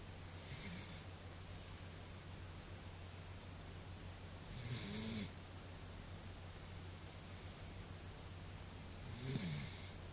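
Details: A female Pembroke Welsh Corgi sleeps and snores, with slow, low rumbling breaths and an airy hiss every few seconds.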